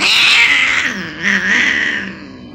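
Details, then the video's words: Angry, aggressive cat hissing: a sustained, breathy, broadband hiss lasting over two seconds, with a brief dip in the middle, and a faint low growling tone running underneath. "Angry and Aggressive Cats Hissing"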